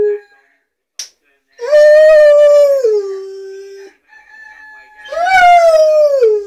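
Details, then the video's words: Rottweiler at home howling to a cockadoodle-doo alarm clock. Two drawn-out, rich howls, each holding level before falling away, separated by a quiet gap with a faint steady tone. "rottweiler singing to cockadoodle doo alarm clock"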